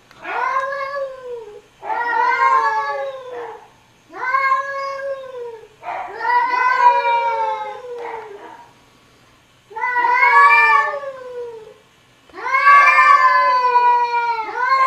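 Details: Cats arguing indoors with a run of about seven long, arching meows, each lasting one to two seconds with short gaps, a steady back-and-forth of whiny rising, falling calls.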